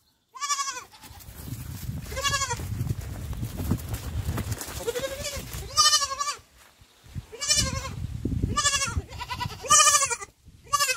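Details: A young goat bleats repeatedly, high and wavering, over low rumbling background noise, on a village goat farm.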